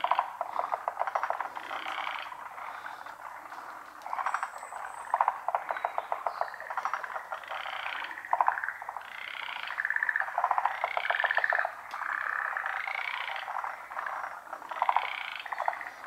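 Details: Loud chorus of frogs in a pond, their positions not visible: layered rattling croaks and rapid clicking trills repeat in waves, with some higher, more tonal calls mixed in toward the middle.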